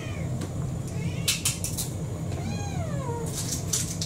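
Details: Begging for her dinner indoors, Kurumi, a brown tabby mixed-breed cat about four years old, gives two clear meows, a short one and then a longer one that rises and slides downward, amid clinking kitchen sounds and low hum.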